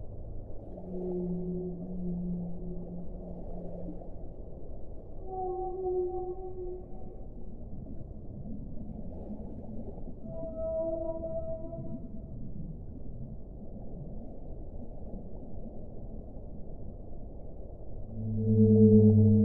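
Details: Whale. Slow, low moans from a whale drift up and down in pitch, each held for a second or two. Higher sustained tones break in now and then over a steady underwater rumble.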